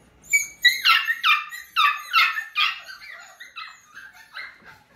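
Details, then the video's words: Cockapoo puppies, F1 cross of a cocker spaniel mother and miniature poodle father, indoors: high whimpers and squeaks in a rapid run of about ten short cries, several sliding downward, with quieter yelps toward the end. "Cockapoo Puppies!"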